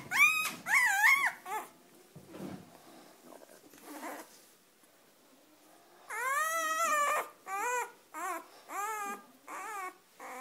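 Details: Weimaraner puppies indoors whining and yelping: high, wavering, tonal cries in short bursts, some rising then falling, in two clusters separated by a quieter stretch with faint murmuring.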